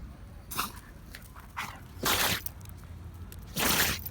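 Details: Kishu dog Kī-kun, a young boar-hunting dog in training, sneezing: short noisy snorting bursts, a faint one near half a second, then two strong blasts around two and three and a half seconds, with soft rustling between.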